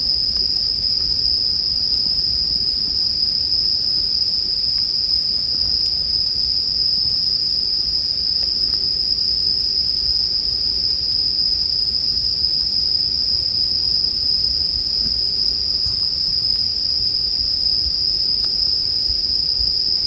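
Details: Steady high-pitched ringing of bell crickets, a continuous shimmering tone without pauses, with only a few faint campfire snaps beneath it.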